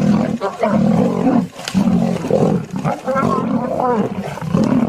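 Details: Lion giving deep, rough roars and growls in near-continuous bursts of one to two seconds, with brief gaps and rasping overtones throughout.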